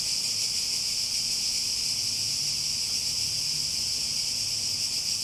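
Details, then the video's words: Cicadas buzzing without a break, a constant shrill whine filling the clip, with a soft low hum in the background. "Relaxing Sounds With Cicadas"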